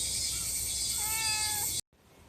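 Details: Spayed brown-tabby calico community cat, outdoors in early summer near the end of the rainy season, gives one drawn-out, steady, slightly nasal meow lasting about two-thirds of a second over a loud, continuous cicada chorus.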